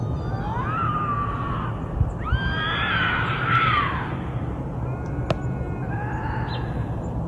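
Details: Bobcat howls used to repel raccoons and rodents: three drawn-out, wavering tonal wails that rise and then bend downward, the last one fainter, over a steady low rumble.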